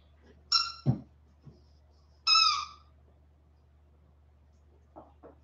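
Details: Westie puppies aged 47 days after an outdoor break give two high, clear yelps, the second longer and drawn out, with a low thump between them and faint scuffling afterwards.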